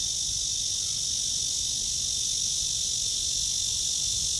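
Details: Cicada in a tree under a blue sky, recorded on a walk at 09:27 on the morning of 23 August 2020; a steady, shrill, high drone holds unbroken throughout, over a low rumbling background.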